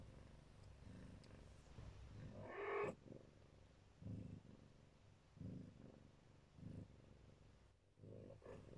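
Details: Siberian Neva Masquerade mother cat protecting her kittens, purring in a low rhythmic throb with pulses roughly every 1.3 seconds and one brief, brighter call early on.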